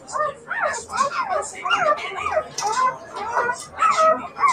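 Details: Siberian Husky puppies giving a run of arched, whining calls that rise and fall, roughly one every two seconds, with a harmonic, voice-like quality indoors.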